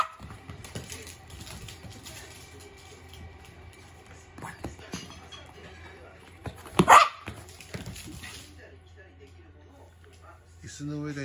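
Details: Short burst of loud barking near the middle from a poodle during a morning game of ball, set among steady Japanese speech and light indoor background noise.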